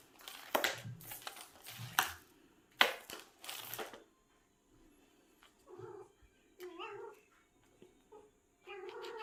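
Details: Seven-year-old pet cat Ramji making an odd sound while hunting indoors: loud clattering knocks fill the first four seconds, then short, nasal, harmonic mewing chirps come in quick bursts separated by brief pauses.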